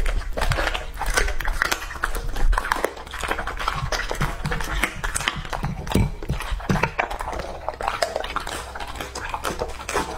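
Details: Lucky, a male English-type Labrador Retriever of two and a half years, chews raw food indoors. The crackling bites and wet gnawing are continuous and irregular, a little softer than elsewhere.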